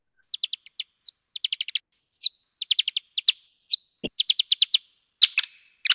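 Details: A male Mexican free-tailed bat's song, slowed about eight times: quick bursts of high chirps broken by sweeping squeaks, notes arranged in differing series.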